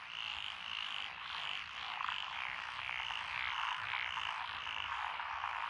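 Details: Frogs calling from lotus rice paddies in Echizen, Fukui Prefecture, Japan, 12 June 2021, among them tree frogs, pond frogs, wrinkled frogs and green tree frogs. Rhythmic, repeated grating croaks rise and fall in an unbroken chorus.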